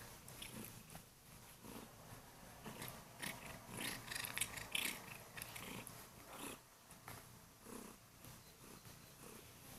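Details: Morning wake-up by a female Kurilian Bobtail on the owner's bed, purring loudly while lightly biting hands; the rumbling purr is mixed with rustling bedding and brighter scuffing noises.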